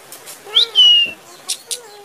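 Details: Kitten meowing, a brief high rising squeak that runs into a longer, steady, thin whistle-like cry, followed by two short faint taps in a quiet room.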